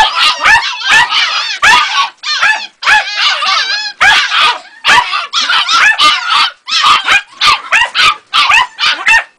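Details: Shrill, wavering yelps and whines come in fast, uneven bursts from Ega, a two-and-a-half-month-old Jagdterrier puppy, with brief silent breaks between volleys.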